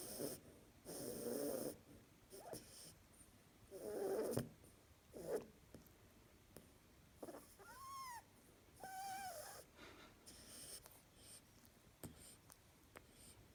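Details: A female harlequin rabbit kept as a pet snores and talks in her sleep: soft, breathy snorting bursts at irregular intervals, then two short, squeaky, arched tonal notes in quick succession, with a quiet room in the background.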